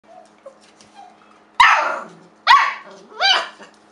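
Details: Pet dog barking playfully at a kitchen towel indoors: three sharp, harsh barks, each a loud broadband burst, the last with a rising-falling tonal yelp, after faint soft vocal noises.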